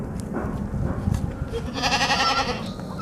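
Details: A white baby goat drinking milk gives a wavering, nasal bleat after some low shuffling and handling noises.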